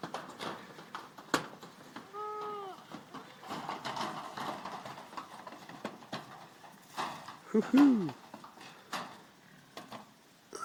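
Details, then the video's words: Goat kids playing in a goat pen: two short, wavering nasal bleats with rich harmonics, one early and a sharper one near the end, over a constant clatter of hooves scrambling and knocking about the enclosure. "9 kids playing in the goat pen."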